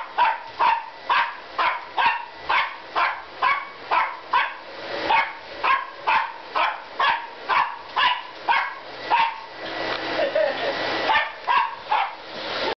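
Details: Corgi barks in a fast, steady string of sharp, yappy barks, about two each second, reacting to a vacuum cleaner.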